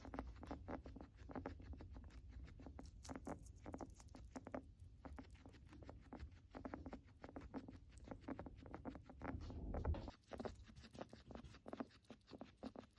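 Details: A sick guinea pig's breathing crackles and rattles with rapid, dry clicks, a sign of a serious health issue such as respiratory infection.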